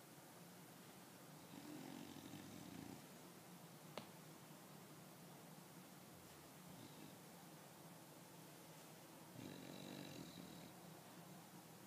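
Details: English Bulldog snoring loudly indoors, soft raspy breaths with broad noisy bursts around two and ten seconds, fainter rasping in between, a brief click near four seconds.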